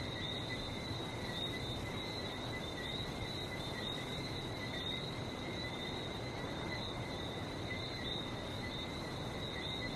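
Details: Barbados frog chorus: many small high-pitched chirping notes merging into an unbroken shimmering band, with the rush of sea waves filling the low end throughout.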